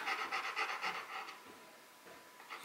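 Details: Bruno, a Rottweiler working through a box maze challenge, pants in quick breathy bursts, about four per second, for just over a second before it fades to quiet rubbing and shuffling.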